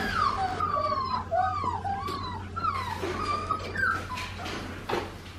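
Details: Australian Shepherd puppies indoors crying in high, thin whimpers that slide up and down, several short wavering cries overlapping over five seconds, with a steady low hum underneath.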